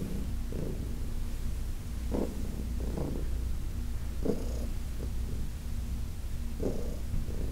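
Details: Heidi, a senior female cat adopted from a New York City shelter, purrs while being massaged. The purring is a continuous deep rumble, swelling in soft breath-like pulses roughly every second.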